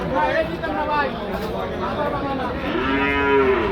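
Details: Cattle at the Hazratpur cow market in a crowded trading setting. A loud, drawn-out moo swells near the end, preceded by fainter lowing, with traders bargaining over prices in the background.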